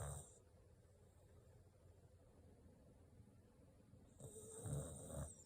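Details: Corgi fast asleep indoors, snoring; no background music added. Soft, low, breathy rumbles: a brief snore at the very start, a near-silent stretch, then a longer, louder snoring breath after about four seconds.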